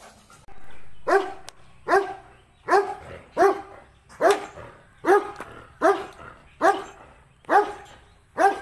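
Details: Pure-breed female German Shepherd barking in steady, deep repeated barks, about one bark per second, each bark a short burst with a slight falling tail, over a quiet background.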